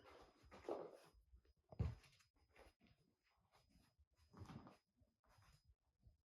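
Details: Kitten chasing after someone indoors, meowing as if asking to play: two short, moderately loud mews about four seconds apart, with faint shuffling and soft knocks in a small room between them.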